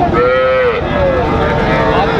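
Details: A brief, sustained moo with a slight downward bend from Sahiwal cattle at Raniganj market, Dinajpur, Bangladesh, 6 June 2024, set against a noisy crowd and voices.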